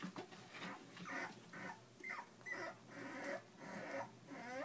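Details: Litter of puppies aged three weeks, several pups whining together in short squeaky bursts that bend up and down in pitch, repeated irregularly through the clip with faint hiss behind.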